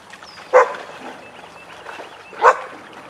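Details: Weizsla dogs Biscuit and Jericho during a playtime session in their den: two short, sharp barks about two seconds apart over a quiet background.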